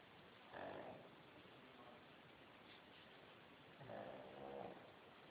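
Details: A pet dog snoring while asleep: two soft, rasping breath snores about three seconds apart, each lasting under a second, over a steady low background hiss.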